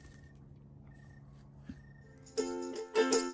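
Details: Near-silent indoor room with a faint hum gives way after two seconds to bright plucked-string chords, like a ukulele, strummed in short bursts; no animal is heard.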